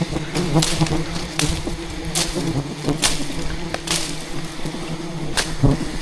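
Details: Wild bees in rainforest jungle, thousands swarming aggressively to defend their colony while a giant hidden hive is harvested by traditional honey hunting; low steady droning hum broken by sharp knocks and clatters.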